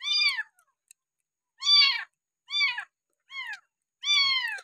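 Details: Abandoned village kitten found beside a house, six days into bottle-feeding with milk, giving loud high meows that bend downward, five calls spaced irregularly about a second apart, with silence between.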